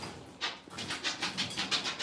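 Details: Blenheim Cavalier King Charles Spaniel puppies, six weeks old, in a home puppy pen: quick breathy panting, a steady series of about eight airy puffs in two seconds, close to the microphone.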